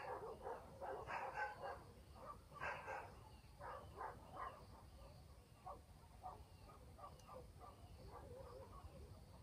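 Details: Dogs barking at night in a countryside village: bursts of short, rough barks in quick clusters near the start, then fainter repeated yaps trailing off over a steady low rural background hum.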